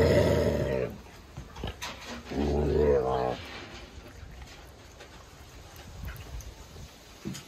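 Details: Impatient lynx growling while a steak is unwrapped by hand: two long, low, rumbling growls with harmonic bands, the first at the start and the second about two seconds later, then quieter rustling and handling noise.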